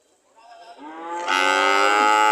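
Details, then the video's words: A cow ready to leave gives a single moo that swells from a low murmur into a loud, bright, sustained bellow. "The sound of Cows ready to leave"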